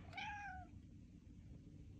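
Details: A female pet cat in a kitchen gives a short, quiet, falling meow, followed by low room hum. A person talks to her, asking whether she wants to go outside.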